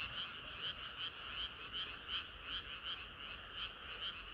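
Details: Summer-night frog chorus with one clear caller repeating short bright croaks roughly three times a second, set against a steady background of more distant frogs.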